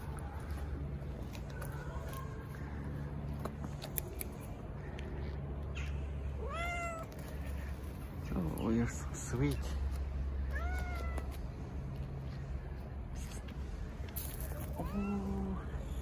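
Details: Stray cats gathered in an Istanbul park as a volunteer feeder pets a tuxedo cat; scattered short upward-sliding meows among soft human talk and steady low traffic-like rumble.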